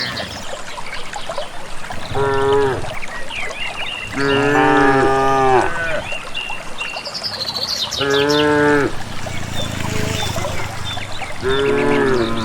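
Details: Unherded cattle of a rural village moving toward a green valley pasture, lowing four times, with strong harmonic moos several seconds apart and light bird chatter in the background.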